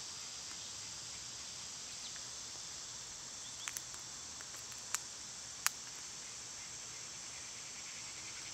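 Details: Summer cicadas keep up a steady high-pitched hiss, while several sharp clicks or snaps cut across it in the middle of the recording.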